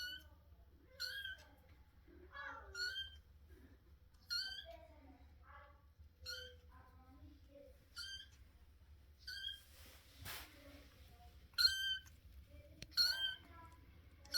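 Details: Baby Russian Blue kitten giving a long run of high, thin squeaking meows, brief and fairly evenly spaced, a few louder and sharper near the end, over a quiet indoor background with a low hum and one brief rustle.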